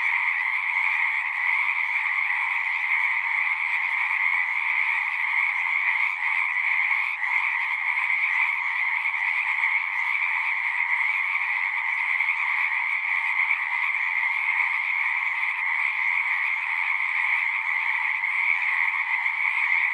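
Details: A dense chorus of many frogs singing at once, a steady, unbroken wall of trilling croaks centred in two bright bands, mid and high, with no pauses and no other sounds.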